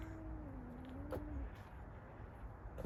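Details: A female domestic cat climbed high in a tree and watching a dog below gives a single drawn-out meow, low and plaintive, dipping slightly then holding steady over a second, followed by soft knocks and a low background rumble.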